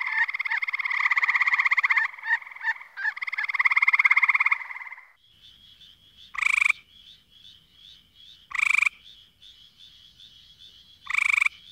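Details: Frogs calling: a dense, harmonic trilled chorus in the first five seconds, then short loud pulsed calls repeated about every two seconds over a faint steady high-pitched background chorus.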